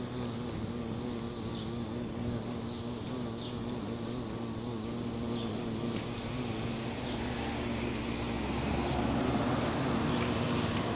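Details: Bee buzzing on a flower: continuous low, slightly wobbling drone with layered harmonics, swelling a little louder in the final seconds, over a steady background hiss.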